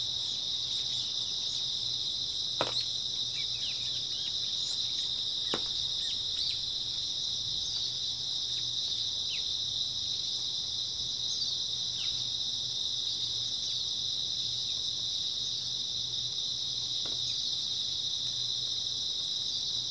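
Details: Steady high-pitched chirring of many grass insects in early autumn, between night and dawn, forming a continuous shimmering wall of sound, broken by a few sharp clicks or taps at around 2.5, 5.5 and 17 seconds.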